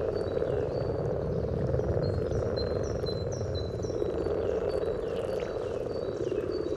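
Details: Courting common frogs at their spawning site in Sunnersta, Uppsala, Sweden, parabolic microphone just above the water: a dense, continuous low purring chorus, while a bird repeats clear whistled notes overhead.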